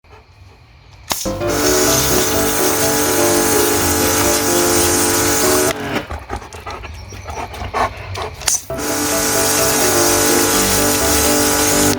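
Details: Loud steady mechanical drone with layered tonal hum, broken by a few seconds of rattling clatter before the drone resumes; no animal sounds.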